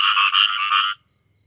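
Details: One short raspy frog croak from a group of many, about a second of rapid rattling pulses that stops abruptly into silence.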